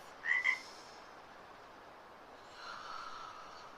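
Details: A frog very close by in a studio in downtown Portland, Oregon gives two quick, bright chirping croaks in a row, then falls silent.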